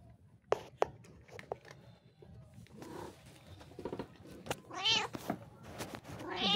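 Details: Domestic cat indoors letting out a couple of short, wavering meows near the end, preceded by clicks and a person's soft talking in a small room.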